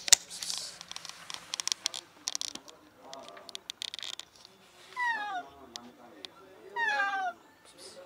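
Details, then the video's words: Sick female cat stuck in a closed-off alley, calling desperately for help. A burst of clattering and rustling comes first, then two loud, descending meows about two seconds apart. "Cat trapped in an alley desperately meows for help"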